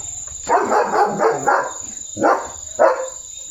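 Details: Leo, a pet German Shepherd, barking while showing off new glasses: a run of rapid, harsh barks merging for about a second, then two separate sharp barks, with a steady high electronic whine behind.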